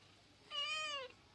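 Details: Pet cat, described as a quarrelsome girl, sulks after hearing she will not get a massage: one clear, steady meow about half a second long with rich harmonics, ending in a slight downward slide; otherwise quiet.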